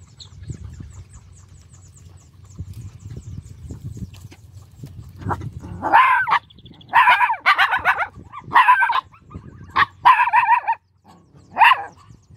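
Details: Hungry small puppy crying: after a stretch of low background hum, six or so short, harmonic, whining yelps come in quick bursts over the final six seconds, each cry pitched high and slightly wavering.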